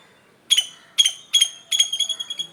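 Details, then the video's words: A squirrel calls in the morning with sharp, high chirps, three separate chips about half a second apart, then a fast stuttering run of clicks and squeaks, in a quiet setting. "Squirrel making sound in the morning"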